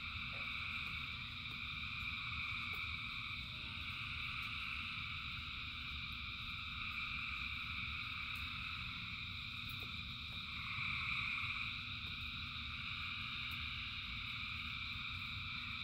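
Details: Frogs calling en masse during rain, their overlapping trills merging into continuous high bands that briefly swell near the eleventh second, over a constant deep wash of rainfall.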